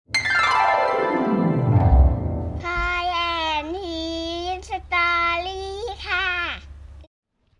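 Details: A falling synthetic sweep gives way to cheerful children's music with a child singing sustained, wavering notes, no animal voices audible.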